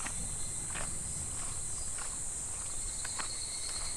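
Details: Cicadas calling in midsummer July beside a shallow, slow-flowing clear stream; a steady, shimmering high-pitched drone runs unbroken throughout, with soft water patter and faint crunching footsteps beneath.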